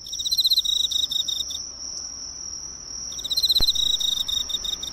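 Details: Emma field cricket near a nearby drugstore's light, recorded close: two pulsed chirping bursts with a quiet pause between, a sharp click in the second, and a steady thin high whine throughout.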